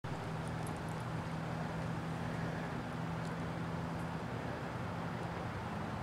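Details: Continuous broadband roar of traffic or wind with a low engine drone, and no animal sound audible.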